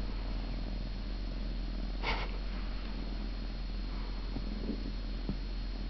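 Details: Siamese cat purring, recorded 26 November; a deep, steady close rumble under constant hum, broken by one brief broadband rustle and a few faint clicks.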